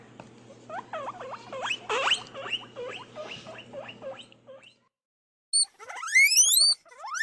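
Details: Guinea pig giving a run of short repeated rising chirps for about four seconds, then a pause and a few loud, high whistled wheeks sweeping sharply upward.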